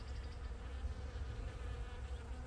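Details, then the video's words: Many bees, including a kind that is not the honey bee, buzzing as they visit the flowers of a thornapple tree on a farm; a soft, steady low hum without breaks. "that little buzzing sound with all the bees they're everywhere"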